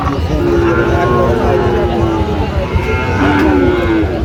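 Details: Sahiwal bull calves at a Bangladeshi cattle market; two long low moos, one falling away, then a shorter call, with steady crowd murmur behind.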